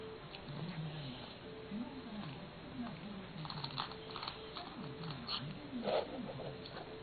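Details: Kou-chan, a pet cat, grumbles while eating, complaining that the food has shifted to one side and is hard to eat: low, arching murmured calls rise and fall in a near-continuous string indoors, with faint clicks of eating.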